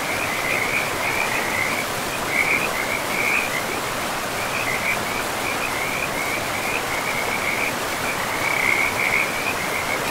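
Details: Forest river with frogs: bursts of quick, high-pitched rattling croaks repeat every second or so across the whole stretch, sitting above a constant broad roar of flowing water.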